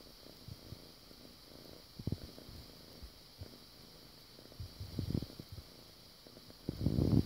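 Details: A foster kitten named Bartok purrs while making air biscuits; the deep, rolling purr swells in louder bursts, with rustling and handling noise growing near the end.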